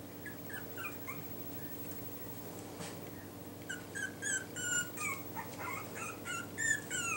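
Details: Yorkshire Terrier puppies wearing new numbered Velcro collars give high thin whimpers and squeaks, quiet at first, then a run of short rising and falling cries over a steady low hum.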